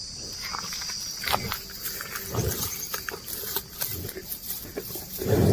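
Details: Cows and oxen walking and eating grass outdoors: irregular crisp tearing and crunching bursts of grazing, soft thuds of steps, and a steady high insect drone behind.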